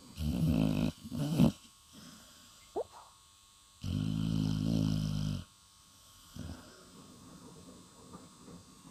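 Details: Sleeping Staffordshire terrier snoring soundly after New Year's celebrations: deep, rumbling low snores in long drawn bursts, one near the start, a longer one midway and a shorter one later, separated by quiet pauses, indoors.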